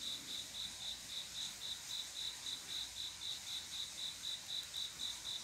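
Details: Cricket calling song from a quiet summer night, a male's love song to attract a female: an unbroken series of sharp, high-pitched chirps at a steady rate of roughly four per second above a faint insect hiss.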